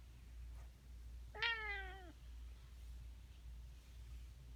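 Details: Domestic cat's strange noise: a single bright meow starting high and sliding steadily downward for under a second, strong harmonics, over a quiet room with low background hum.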